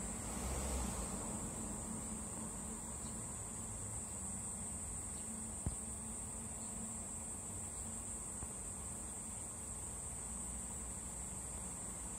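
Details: Continuous shrill cicada buzz from a cherry tree, steady and high throughout, with a louder rustle at the opening, low rumbling noise beneath and an occasional faint click.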